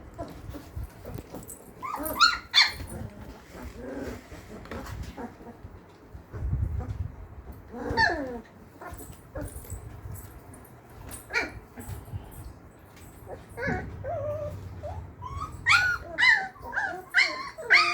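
Labrador Retriever puppies give high, irregular whines, yelps and small barks, with people talking nearby.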